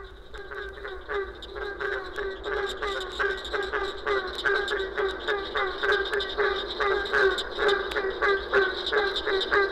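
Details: A chorus of barking treefrogs in Florida gives hollow, honking barks, overlapping about three times a second like a pack of hounds.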